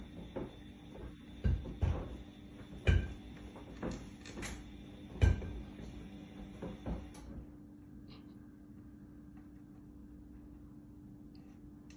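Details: Irregular knocks and thumps like cupboard doors in a small room over a constant low hum, dying away to quiet hum after about seven seconds; no animal is heard.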